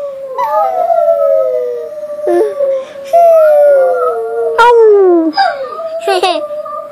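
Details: Dogs howling along with children, several long voices overlapping, each a drawn-out tone that slides and wavers, some falling steadily in pitch, with brief higher cries joining in and sustained loud chorus throughout.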